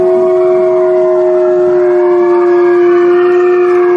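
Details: Female gray wolf at the Wolf Conservation Center in South Salem, New York, holding a long, steady, pure-toned howl at a level pitch, with rich overtones layered above and no break through the whole stretch.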